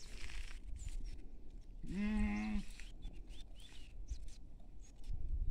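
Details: Goat feeding in a field alongside sheep: a single wavering, strongly harmonic bleat about two seconds in, lasting under a second, over low rural background rumble with faint high chirps.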